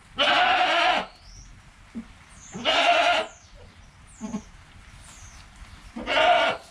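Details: Within the first hour of life, newborn kid Joel calls near his mother Penny: three loud, rich bleats spaced roughly two to three seconds apart, with brief soft grunts and faint high whistling chirps between them.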